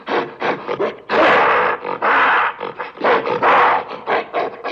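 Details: Gorilla giving an angry roar: a few quick gruff bursts lead into two sustained, broad, rasping roars, then a chain of short, punchy grunts and a last rough bellow.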